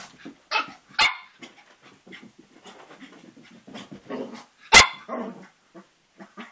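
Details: ['Cavalier King Charles Spaniel puppy around three and a half months old at play with its own mirror image; a few scattered high yaps, one loud sharp bark near the end, with soft scuffling and huffing between.']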